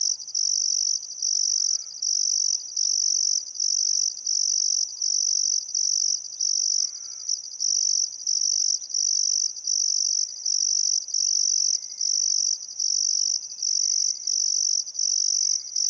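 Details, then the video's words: Crickets chirping on a still summer afternoon at sunset along the Barcoo River in Welford National Park, Queensland outback, Australia; high pulsed trills repeat regularly about every second, while several birds call faintly, including short whistled and rattling notes. "Australian Sunset Chirping Crickets"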